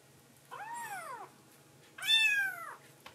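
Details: A tuxedo foster kitten, up at night, drinks milk and then gives two high, clear meows that rise and fall, calling affectionately to its mama after feeding.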